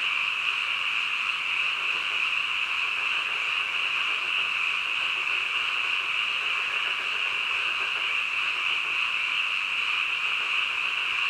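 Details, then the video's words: Midnight frog chorus: countless callers blend into a continuous high-pitched trilling wash that holds at an even loudness throughout, with nothing else heard. "한밤중 개구리 울음소리"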